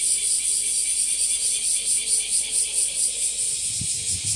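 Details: Bear cicada (washiwashi) calling in Japan, found in trees and grassy spots: continuous harsh high-pitched rasping with rhythmic pulses roughly twice a second, and a brief low thump near the end.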